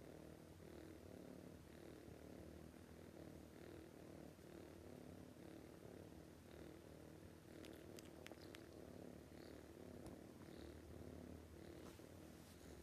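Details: Sleeping cat snoring loudly: a low, steady rumbling drone with soft, evenly spaced breath pulses throughout, a few faint clicks near the middle, and no other clear sounds.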